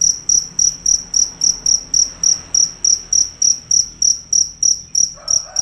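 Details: Cricket, described as fierce and loud, calling without a break: sharp high chirps repeated about three times a second, evenly spaced, with a brief faint sound near the end.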